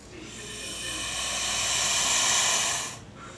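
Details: Male southern pine snake, agitated, producing a long, airy hiss that swells gradually, peaks near its end and fades out after nearly three seconds.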